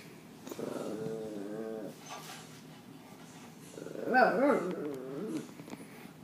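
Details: A Pekingese dog, barking at a German Shepherd on TV during a family movie night, gives two bursts of wavering, yodel-like whining barks rising and falling in pitch.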